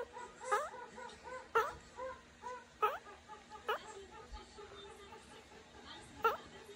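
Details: A just-woken meerkat gives soft, whiny tonal calls broken by sharp rising squeaks about every second.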